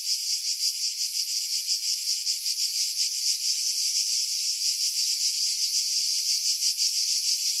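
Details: Skiros Island cicadas, Greece, July, in pine trees 50 m above the sea; continuous hissing, high-pitched buzz with irregular rhythmic throbbing, wind buffeting edited out by filtering.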